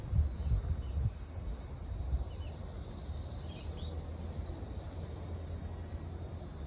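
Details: Ryukyu large brown cicada, known locally in Okinawa as Nābikachikachī, singing on June 4 in Okinawa: a steady, hissing high buzz that holds without a break, over a soft low rumble of background noise.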